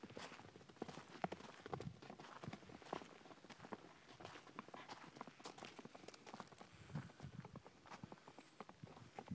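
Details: Horses in Hereford, hooves giving a clip-clop of sharp knocks that fall unevenly, several every second, over a low rumble of background noise.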